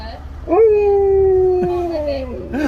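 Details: Siberian husky at a Starbucks drive-thru howling at the staff for a puppuccino. One long, steady, slightly falling tonal howl lasts about two seconds over a low engine rumble. A woman's voice follows.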